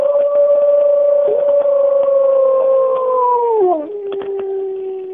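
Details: Captive wolf pack at Bays Mountain howling in the cool of the morning, recorded in 2010: a long steady howl slowly sliding downward, dropping sharply near the end into a lower held tone.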